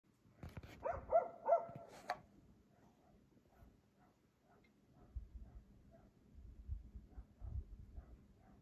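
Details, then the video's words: Dog barking at 3 AM at night in Aliseda (Los Galaperos) while its owners sleep, a nightly occurrence; a quick run of loud, harsh barks in the first two seconds, then quiet with faint distant barks and low rumbling. "Ladridos de perro a las 3 AM TODAS LAS PUTAS NOCHES EN ALISEDA (LOS GALAPEROS)sus dueños duermen!"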